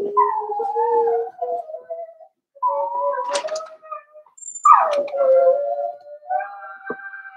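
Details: Four-week-old Cavalier King Charles Spaniel puppies indoors in a puppy pen, whimpering: drawn-out tonal whines that slide gently downward, broken by short pauses, with one sharper rising cry midway and a quieter whine at the end.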